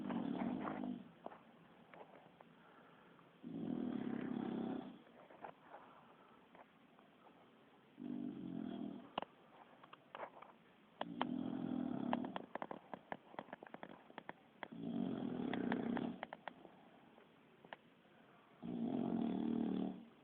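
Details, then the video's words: Kiára, a sleeping Bulldog, snoring like a person: deep, rasping snores in long bursts of one to two seconds, repeating roughly every three to four seconds, with quieter breathing between them. "Bull Dog roncando"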